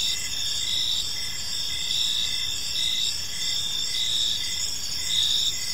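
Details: Crickets calling in a peaceful park at evening: constant high-pitched ringing trills from several insects, with short chirps pulsing roughly once a second over faint low hiss.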